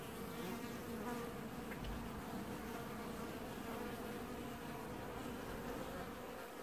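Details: Steady, loud drone of many honey bees washboarding at their hive in an apiary during early July 2019, a thick unbroken hum with a faint rustle above it.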